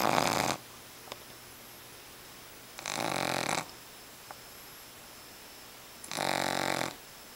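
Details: Loud snoring from a sleeping Boston Terrier puppy whose eyes stay open: three rough, rasping snore bursts spaced about three seconds apart, each lasting under a second, in a quiet room.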